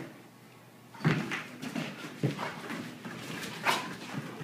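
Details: Dogs at play indoors on 2013-09-13, a threesome named Sean, Emery and Shanna that wanted to play together all morning; short whimpering yelps and scuffling bursts come at irregular intervals in a small room.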